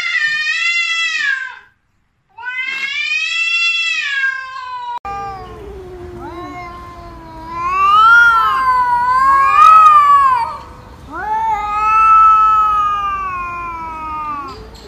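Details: Kittens in a funny kitten compilation: two high, falling meows separated by a short gap, followed by a run of long, wavering, loud meows with rising starts, over a low background hum.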